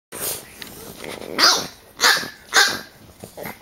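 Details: Three French bulldogs play-biting, three against one. Three loud, harsh, breathy snorting bursts come about every half second after a quieter opening, with faint scuffling between them.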